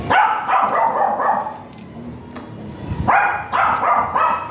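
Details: Barking from a giant Golden Retriever brought for stud service at Binalonan, Pangasinan: two bursts of rapid, loud barks, one at the start and one near the end, separated by a quieter pause.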